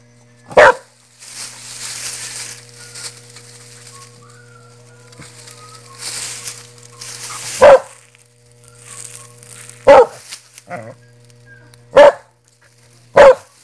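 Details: Dog giving five short, loud single barks spaced a few seconds apart, between them rustling and scraping noises and faint soft squeaks, over a constant low hum.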